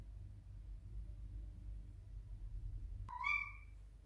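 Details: Toby, a house cat desperately searching for treats in a kitchen, gives one short, bright meow that rises then falls near the end, after several seconds of steady low hum and faint background noise.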